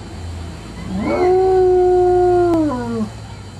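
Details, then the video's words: Domestic dog at home giving a single sustained howl for no apparent reason: a rising onset, then a level, tonal wail held about two seconds before dropping away, with faint hum behind. "Kaiser Howling"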